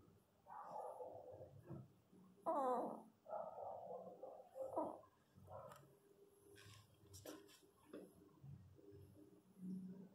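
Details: Pinscher puppies just after a natural birth, giving a run of thin, wavering whimpers and squeals in quick succession, some rising and falling, with soft thumps and rustling in a small room.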